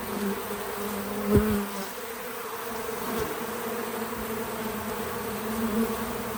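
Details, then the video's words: Bees at an outdoor feeder on a small farm. One bee buzzes loudly past at close range early on, then the drone settles into a quieter, even hum that rises again near the end. "Relaxing Bees at the Feeder 🐝 | Natural Buzzing Sounds"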